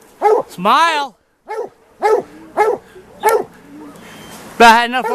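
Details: White Deer Plott hounds out after a big tom lion on an afternoon hunt; a long bawl opens, then spaced short chop barks follow before a loud, drawn-out bawl closes.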